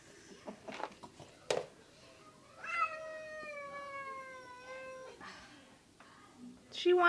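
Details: Plump female house cat, eager to get to her friend, lets out a sustained, level meow lasting over two seconds. Before and after it come clicks, bumps and a person talking quietly.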